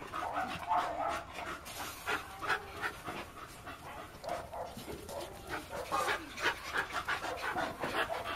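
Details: A male Bull Terrier pants rapidly, with soft breathy bursts repeating about three times a second.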